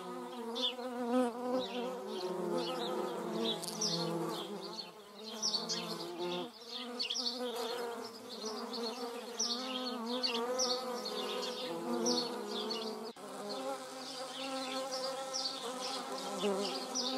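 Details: German wasp and paper wasp buzzing in a continuous low drone that shifts pitch and strength at times, over a busy background of many quick high bird chirps and twitters.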